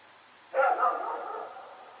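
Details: Rex, a dog running around at night, recorded on Oct 7, 2018, gives a single loud, harmonic bark that trails off over about a second, against a quiet background with a faint steady high tone.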